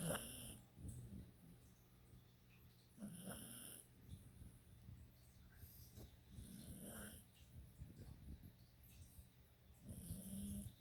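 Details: Snoring from a pet dog: a run of uneven, shorter rumbling snores and snuffly breaths at irregular intervals, low and gravelly with brief airy hisses, over a constant faint hum.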